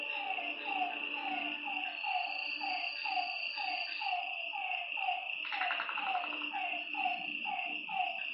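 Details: Frogs croaking at night by a lake in a regular run of short falling notes. A high insect drone persists, and a brief burst of a harsher, rattling call appears midway.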